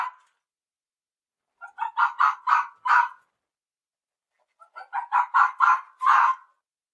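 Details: Two bursts of red fox barking, each a rising run of four or five coarse, yelping barks, separated by about two seconds of silence.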